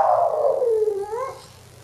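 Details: Female Boston Terrier pining for Patrick indoors: one drawn-out howl falling steadily in pitch, then a brief wavering upturn before it fades. A voice asks where Patrick is.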